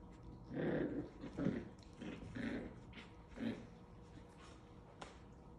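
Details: Seven-week-old Havanese puppies playing indoors give a series of four or five rough, growly bursts about a second apart, then fall quiet except for a faint click.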